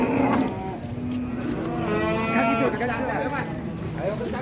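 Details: Raging cattle; a long loud bellow with strong harmonics, rising and wavering in pitch around two seconds, with a second caller and voices faintly underneath.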